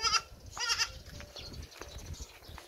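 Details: Pet hybrid Boer goat bleating twice, short wavering high-pitched cries near the start and middle, with background rustling and faint noise between.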